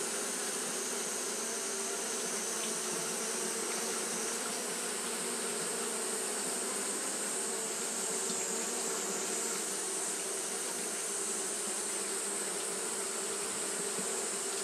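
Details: Steady fanning hum from Japanese honey bees on a hot day, a thick continuous drone with stacked low bands and faint flickers, over a constant bright high hiss.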